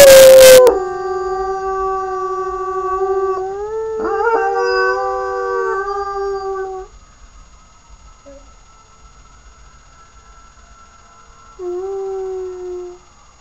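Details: Young puppy howling: a brief loud burst, then a long sustained wail that swells and rises midway, followed by a quiet pause and a shorter, lower howl near the end.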